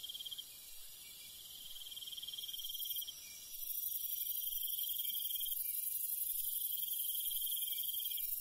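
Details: Night-time countryside cricket giving short high trilled bursts, while a loud hissing layer of other insects swells in about halfway through and masks the background.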